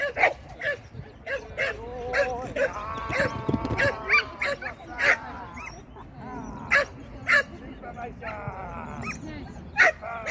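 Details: Shetland Sheepdog during training on 16 May 2023, sharp barks repeated about every half second with short gaps, a person's voice and tonal whining sounds in between.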